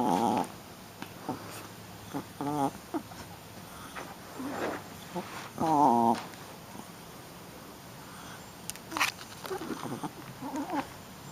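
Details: Shih Tzu puppy, a female getting rough during play, lets out scattered squeaky whines and warbling growly grunts, one louder wavering cry in the middle, mixed with thumps and scuffling sounds.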